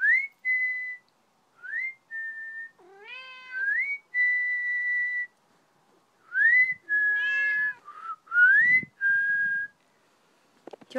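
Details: Mitz, a male Maine Coon indoors, answering whistling with loud meows as he follows along; clear whistled slides sit between several rich, stacked meows.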